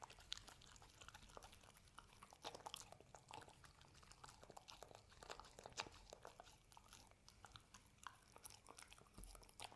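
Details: Hazel, a pet dog, eats homemade treats indoors. A steady stream of crunchy, clicking bites and smacking chews fills the room, with no other sounds.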